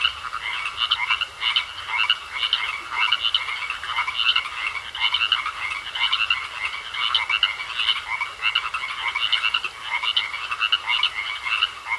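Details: A pond chorus of frogs croaking continuously, dense rasping bursts overlapping in steady rhythm over twelve seconds, with a persistent thin high trill behind them.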